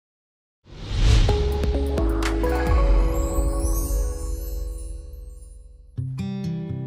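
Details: Ambient instrumental music with plucked string notes that begins after a short silence, swells, fades, then resumes with a new chord near the end, without any deer call.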